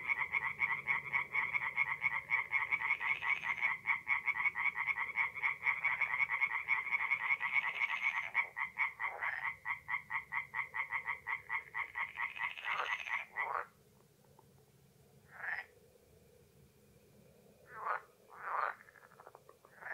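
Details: Night chorus of singing tree frogs at a forest pond in North-East Italy, mid-April: dense, fast pulsed croaking for about thirteen seconds, then sudden near-silence broken by a few scattered single calls.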